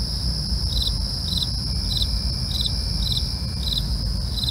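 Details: Nocturnal crickets: rhythmic chirps spaced about two-thirds of a second apart ride over a constant thin, high trill, with steady low rumble beneath.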